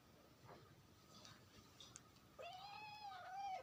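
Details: Kitten in India meowing once: a single drawn-out meow starting after a quiet stretch, holding level and gently arching before fading, with faint room noise beforehand.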